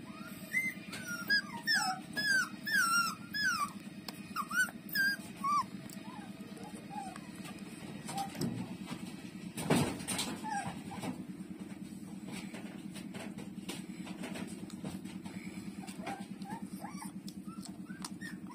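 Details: Puppy Lulu feeding at its mother's teats, opening with a dense run of high, quavering squeaks and whines that thin out to occasional soft whimpers, over a continuous low rhythmic hum.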